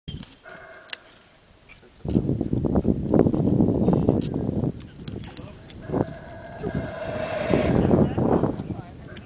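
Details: Howler monkeys roaring in the early morning in the Tikal jungle, heard from atop a Mayan temple; deep rolling, grinding roars swell from the second second onward, with other jungle sounds and faint higher calls behind.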